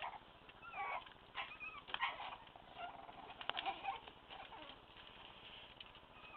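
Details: A litter of one-month-old Staffordshire Bull Terrier puppies, two males and three females, squeak and whine in thin, high, wavering bursts.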